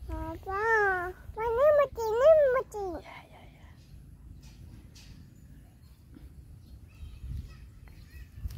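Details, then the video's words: Dog being bullied, giving three loud harmonic whining yelps in the first three seconds, each arching up and falling in pitch, followed by quiet background rumble and faint scattered sounds. "Bully dog is never end"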